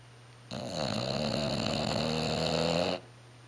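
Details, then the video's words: Bulldog named Jack asleep in a La-Z-Boy, a snore loud enough to carry upstairs across the house: a single sustained, harsh, vibrating inhale lasting about two and a half seconds between stretches of near silence. "Jack the bulldog snoring in La-Z-Boy"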